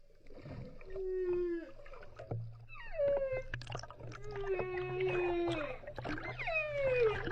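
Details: Whale calling: a run of tonal, gliding moans and higher whistles, some falling and some level, overlapping one another, with a low steady rumble underneath.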